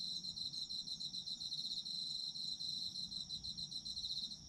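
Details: Autumn insects in Japan, recorded for sleep ASMR: a dense, high-pitched chorus of overlapping cricket-like trills, with fast pulsed chirps over a steady ringing tone and a faint low rumble beneath.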